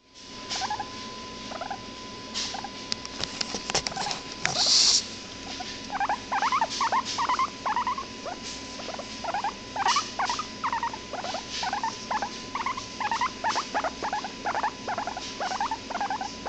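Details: Hairless pet guinea pig making a rapid series of short squeaky chirps and chutters, repeated several times a second in bursts through most of the recording, with a faint steady electrical hum underneath.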